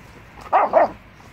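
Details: American Staffordshire Terrier puppies, three and a half months old, with apples; two quick loud yips or barks, mid-pitched, back to back within half a second.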